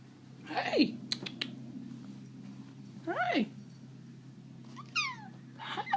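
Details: Simba, a pet Bengal cat, playing indoors: two drawn-out meows that bend upward and then fall, the second about two and a half seconds after the first, then a shorter, higher descending mew near the end. A low steady hum sits underneath.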